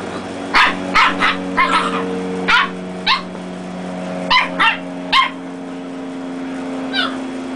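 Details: Red and black-and-tan Dachshund puppies battling in play. Short, high yapping barks come in uneven clusters, about a dozen across the stretch, with a lone yip near the end. A low steady drone stays in the background.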